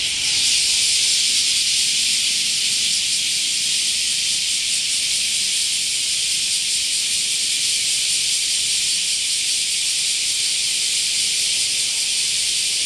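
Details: Summer chorus of cicadas, a dense, steady high-pitched buzzing hiss that never lets up.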